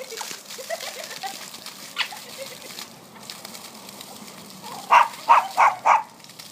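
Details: Whippet puppy at a sprinkler geyser. Splashing water and people talking fill most of the stretch before four quick, sharp barks come in a row near the end.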